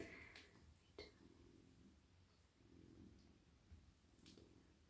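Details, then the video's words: A male domestic cat purrs while being stroked in a lap at night. The low, rumbling purr swells and fades steadily, with sharp rustling and brushing clicks from the petting on top. "Cosy cat purring"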